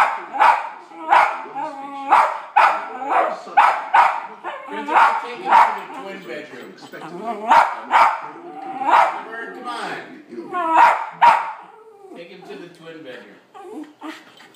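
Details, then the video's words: West Highland White Terrier indoors, barking at television dogs: rapid, excited barking and yips in quick bursts for about twelve seconds, tapering off, with television voices in the background. "White Highland Terrier Barking at Dogs on TV!"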